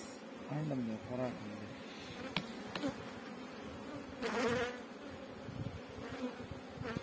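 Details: Steady humming of honey bees at a bee farm in Pakistan, with a brief human voice near the start, a couple of sharp clicks, and a louder noisy burst midway.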